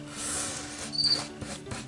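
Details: Crickets caught outdoors and kept briefly before release give a brief, high, pure-toned chirp over the rustle of paper being folded; cricket.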